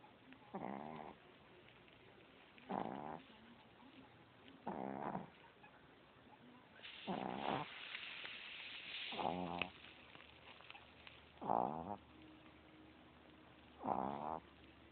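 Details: Chihuahua asleep and snoring, captured with an Android phone: seven grating snores about every two seconds, one longer noisier breath in the middle, soft hum underneath.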